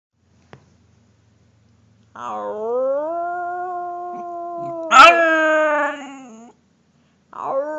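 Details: Puppy howling indoors: a long, steady, tonal howl lasting about four seconds, briefly rising louder near the end before fading, then the start of another howl.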